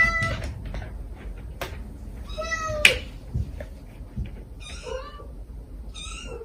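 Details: A stray mother cat and her kittens were recorded while five kittens were being rescued. A quick series of short, high meows includes one longer falling call and some thin, softer cries, with a sharp click partway through.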